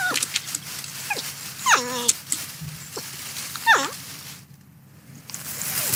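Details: Porcupine eating corn, giving high whining cries that slide downward in stacked tones, the clearest two near mid-clip, with short squeaks between them and a soft crackling, rustling background.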